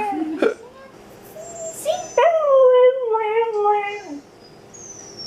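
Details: Nora, a pet Siberian Husky, howling indoors while watching dog videos: a long tonal wail sliding slowly downward with rich harmonics over about two seconds, preceded by shorter yips, with a woman praising her singing.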